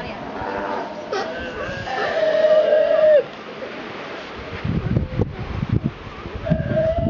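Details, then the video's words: Sea lion on Santa Fe island, Galapagos, being talked to by a person: a drawn-out, wavering, harmonic bleating call lasting over a second, preceded by shorter calls, followed by human speech. "chuck talking to a sea lion"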